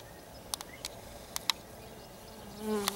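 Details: Honey bees gathering in a small swarm on a hummingbird feeder make a low, droning wing buzz that swells briefly near the end, after scattered faint clicks and taps.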